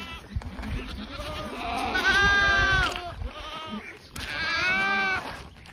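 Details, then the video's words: Boer goats on a farm: two loud, wavering, nasal bleats rich in harmonics, the first drawn out for about two seconds, the second rising and falling after a short pause, with faint rustling underneath. "Boer Goat FARM"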